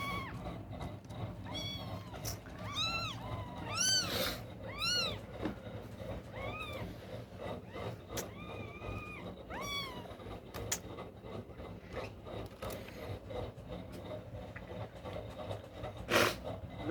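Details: Three newborn kittens with eyes still closed, crying loudly while searching for their mother's milk at night: repeated short arched harmonic mews, several per second in bursts, over soft background music and a person's quiet voice.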